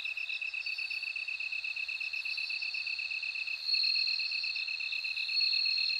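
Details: Steady pulsed chirping from a lower insect opens, then the high, ringing continuous trill of a bell cricket swells to dominate the last seconds.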